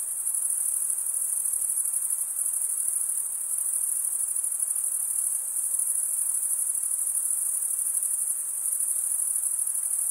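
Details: Continuous stridulation from male crickets: a dense, high-pitched ringing chorus held at an even level throughout, with only a soft background hiss and no other animals or voices.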